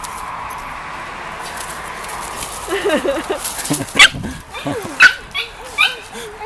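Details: Pomeranian dog dashing at full speed, giving a few short high yips and whimpers around the middle and end, with applause and people's voices in the background.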